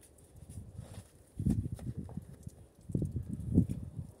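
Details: Grom, a stallion, flirting with his daughter: two low, rumbling, pulsed nickers, each lasting about a second, separated by a brief quiet pause, with faint background noise.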